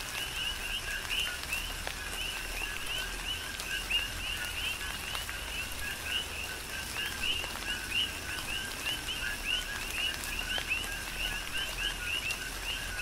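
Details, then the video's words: Chorus of coqui frogs during a tropical rain shower on the Big Island of Hawaii: many overlapping two-note calls, a lower note jumping to a higher chirp, repeated constantly over steady patter of rain and drips. "Tropical Rain & Coqui"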